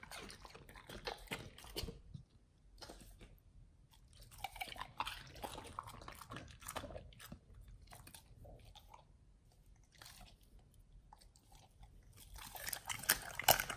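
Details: Pit Bulls chewing a raw meal of beef trimmed chunk, quail egg and duck wing: soft, irregular crunching and squishy mastication with short pauses, growing louder and crisper toward the end.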